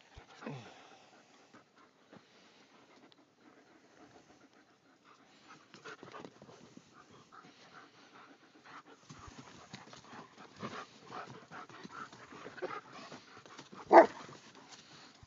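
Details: A pack of German Shepherds pants in soft, rapid, breathy bursts that grow busier and louder in the second half, with shuffling movement and one brief sharp sound near the end.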